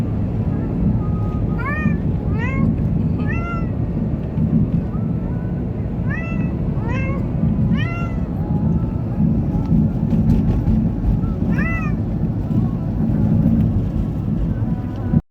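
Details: Munchkin cat on its first ride, scared or excited, meows about eight times in quick sets. The calls are bright and slide down in pitch, with a constant low vehicle rumble underneath.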